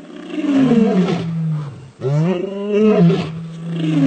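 A male lion gives deep, powerful roars, each a long rumbling groan rising and falling.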